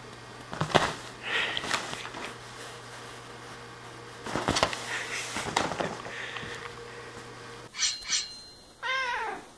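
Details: Squeek, a playful one-year-old female house cat climbing, jumping and sneak attacking indoors, gives a short descending meow near the end, after a stretch of soft rustling and thumping movement noises in a small room.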